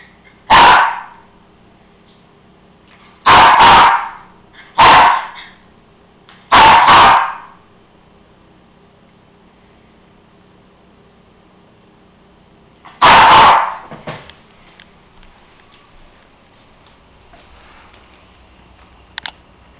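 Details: Cairn Terrier, male, barking to demand his bone left up on the counter; four abrupt barks in quick irregular succession, then a pause of several seconds, one more bark, and near silence afterward indoors.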